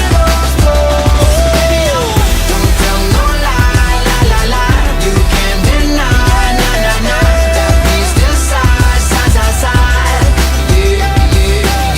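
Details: Loud pop music with a steady driving beat, deep bass and rapped or sung vocals fills the whole stretch; no animal voice is heard.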